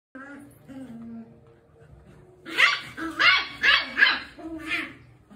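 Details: Small beagle puppy playing with its dad: a run of four or five sharp, high yapping barks in quick succession, following a quieter stretch with soft low voices.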